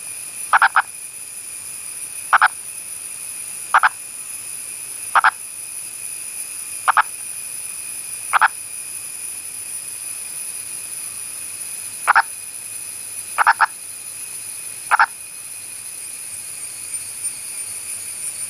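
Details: Indian purple frog calling: short, clipped, knocking croaks repeated roughly every one and a half seconds, some coming in quick pairs, over a steady high-pitched electrical whine and low background hiss.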